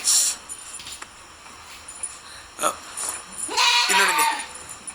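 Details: Goat giving a single short, quavering bleat with stacked harmonics that bends downward, about three and a half seconds in, preceded by sharp clicks and knocks and set against steady background hiss.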